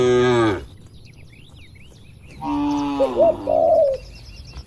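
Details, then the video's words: Tame herded cattle in a large oil palm plantation: a short loud moo that breaks off, a pause with faint high bird notes, then a longer drawn-out moo overlapped by clear whistled bird chirps. "Suara Sapi Moo Lucu"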